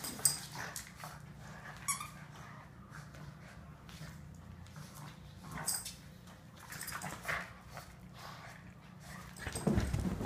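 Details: Boston terriers tugging against each other in play, growling deeply and almost without pause, with scrabbling paws, short snorts and a man's voice speaking at the very end.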